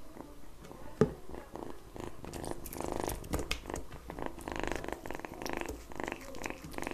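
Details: Kitten eating egg yolk indoors, giving a low rough purr with harmonic bands that swell and fade, mixed with wet licking and smacking clicks and one sharp knock near the start.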